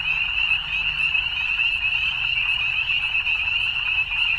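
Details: Evening chorus of frogs: a dense, unbroken high trilling that holds steady throughout, many callers blending into one shimmering band with faint low rumble beneath.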